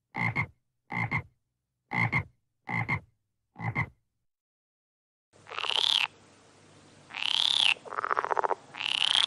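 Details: Frog climbing in a marang tree at night, giving five short, pulsed croaks about a second apart, then a pause followed by longer, louder, rasping calls.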